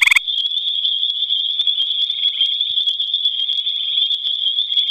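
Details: A gray tree frog sings at night in the Albany Pine Bush, giving a steady, high, pulsing trill that runs on without a break.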